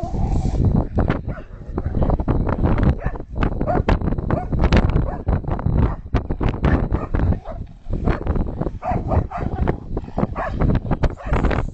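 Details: Ollie, a pet dog, barking at the snow: loud, rapid, deep barks in a dense, nearly continuous volley for about twelve seconds, with a few whimpers mixed in and a voice faintly heard.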